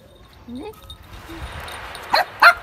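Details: Street dog and Pomeranian, each with her puppy, playing together; a soft rising whine early on, then two sharp, high yips in quick succession near the end over quiet background noise.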